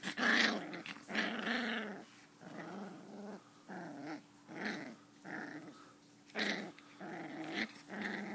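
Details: Butterscotch, a 5-week-old female sheepadoodle puppy, growling while play fighting: rough, throaty growl bursts with harmonic overtones, about eight in a row at uneven half-second to one-second spacing, the first loudest.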